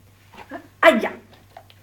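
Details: Zed, a dog, producing a short, strained, two-part harmonic vocalization that sounds like "mamma", lasting about a third of a second, in a quiet indoor setting with a low steady hum and faint soft sounds before and after.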